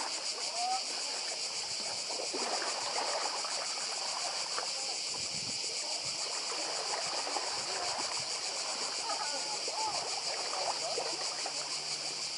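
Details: Cicada chorus by the sea on Croatia's Badija island, an unbroken shrill, shimmering drone with rapid pulses, layered over splashing water and faint distant voices.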